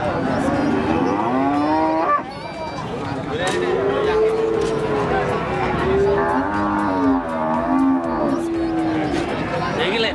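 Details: Female Limousin cow, calved once, at a cattle market in Pati; repeated long tonal moos with bending pitch, several callers overlapping, over constant market crowd noise and nearby talk.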